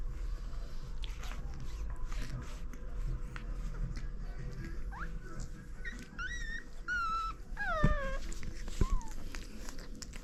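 French Bulldog puppies give thin, high whimpers and squeaks that bend up and down.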